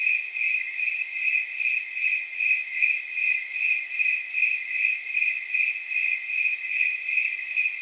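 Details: Snowy tree crickets calling at night, on an evening estimated at around 79 degrees; steady, even, high-pitched pulsed chirps repeating about two and a half times per second, with jingling overtones and no other sounds.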